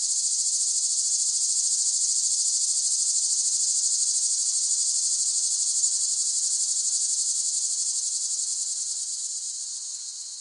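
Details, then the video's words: A loud, level cicada chorus: a sustained high-pitched whirring buzz that runs steadily for about nine seconds and then tapers off softly. "เสียงจักจั่น ฟังเพื่อผ่อนคลาย (Cicada Sound Effects)【セミの声】"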